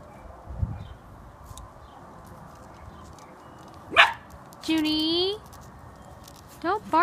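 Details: One-year-old black Miniature Schnauzer, his first time this close to a squirrel, whining as he watches it: a sharp rising squeal, then a longer steady high-pitched whine, and a brief final whine, with quiet human speech and a soft thump early on.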